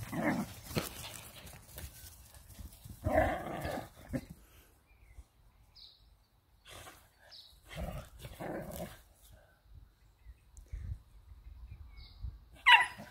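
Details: Whippet playing on a hay bale, giving short harmonic bark and growl bursts in scattered groups separated by quiet gaps, with a sharper yap near the end.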